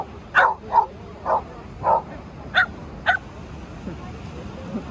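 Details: Shetland Sheepdog at play with a ball, giving six short, sharp barks about half a second apart, followed by soft human speech and quieter moments at the end.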